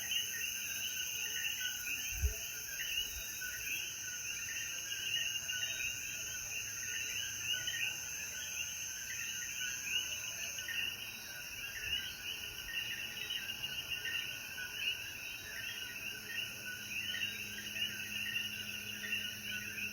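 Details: Coquíes calling after the rain at sunset in the mountains of Jayuya, Puerto Rico: a dense, pulsing mass of chirping notes, a high insect buzz and a brief low knock early on.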